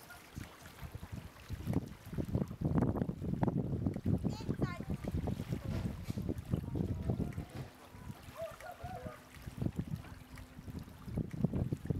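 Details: Low murmuring voices and watery, rumbling background noise fill the recording, with no clear animal calls.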